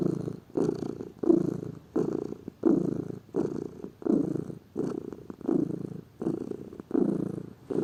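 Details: Purring of a lazy pet cat, a steady low rumble rising and falling with each breath, about ten pulses in under eight seconds, close and indoors.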